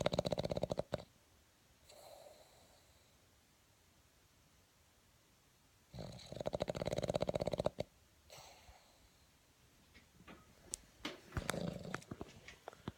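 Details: Boston Terrier snoring in its sleep: long, rattling, buzzy snores with soft nasal breaths between them, then a few clicking snuffles near the end.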